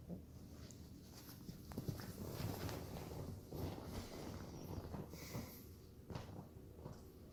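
A French Bulldog puppy snorts and grunts in low, irregular bursts while playing.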